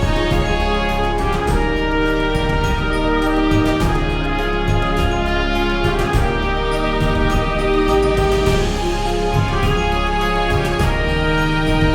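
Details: Loud orchestral theme music plays throughout, with sustained chords and deep bass and no animal sound audible.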